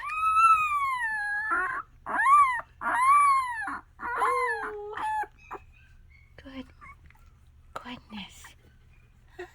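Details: Miniature Australian Shepherd puppies making noise: three loud, long, arching whines in the first five seconds, then quiet murmuring and a woman speaking softly.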